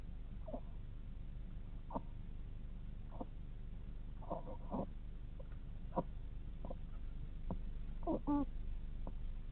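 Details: Sleeping hedgehog snoring: soft, irregular squeaky notes sliding downward in pitch, some doubled or clustered, scattered across the recording over a low steady background hum.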